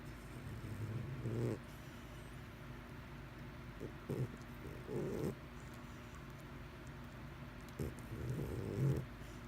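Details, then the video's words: Mr Whiskers, a domestic cat, snores softly in several short, raspy breath bursts at uneven intervals over a steady low background hum. "Snoring Cat 2"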